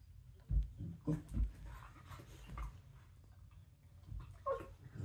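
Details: A corgi playing bitey face on the floor makes low, rough grunts and short huffs in irregular bursts, with a brief whine near the end.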